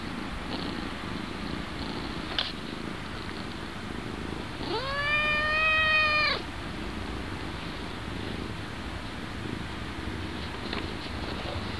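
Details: A domestic cat from 2012 footage of several cats gives one drawn-out meow of nearly two seconds. It rises at the start, then holds a steady harmonic tone before stopping, over constant rustling background noise with a couple of faint clicks.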